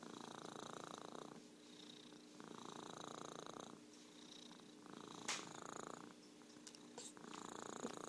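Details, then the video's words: Merlin the orange tabby cat keeps up a continuous rattling purr in alternating louder and softer phases, interrupted by a few sharp clicks or taps near the end, with a low background hum. "Virtual Purring Cat"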